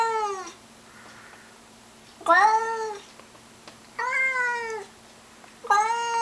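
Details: House cat giving a belligerent battle cry at a stray outside in the bushes. Three separate drawn-out, harmonically rich wails, each about a second long, spaced by quiet gaps of one to two seconds.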